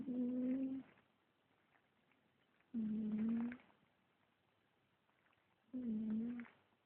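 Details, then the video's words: Sleeping cat snoring with three even, tonal breaths, each a smooth hum under a second long, spaced about three seconds apart, with near silence between. "The Snoring Cat"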